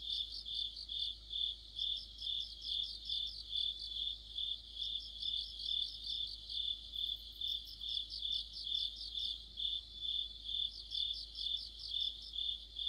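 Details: Autumn insect orchestra led by crickets by a streetlamp: a constant high trill with rhythmic pulsed chirps swelling roughly twice a second, overlapping voices, faint low hum beneath.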